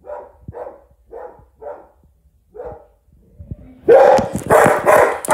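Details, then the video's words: English Springer Spaniel Jaxston barking at a WowWee Robosapien toy robot; five soft, distant barks in quick succession, then after a pause a sudden loud, close burst of harsh, noisy barking fills the last second and a half. "Jaxston The Springer Spaniel Barking At WowWee Robosapien"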